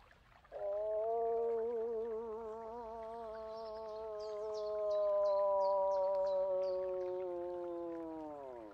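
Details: Moose calling: a single long, drawn-out nasal moan lasting about eight seconds. Its pitch holds steady with a slight waver and drops away at the end. Faint high chirps sound in the background.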